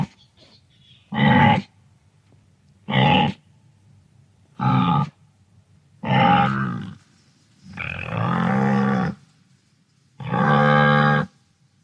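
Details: Wildebeest from the African savanna uttering a series of six deep, nasal grunts and moans roughly every one and a half to two seconds, the later ones longer and more drawn out.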